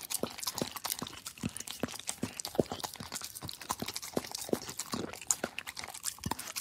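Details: Dog lapping at a plate, quick repeated tongue strokes roughly twice a second over a constant crackly, clattering background.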